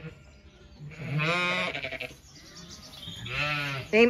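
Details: Zwartbles sheep ewe with one of her lambs while her other lamb is missing, on a farm in County Kilkenny, Ireland, at sunset; mothers calling after a gate swung half closed. Two wavering, harmonic bleats, each about a second long, with faint background music.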